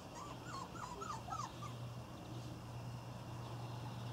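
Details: Irish Terrier puppies from the N litter on their first outing give a quick run of about six high, whining whimpers, each rising then falling, packed into the first second and a half, followed by quiet over a steady low hum.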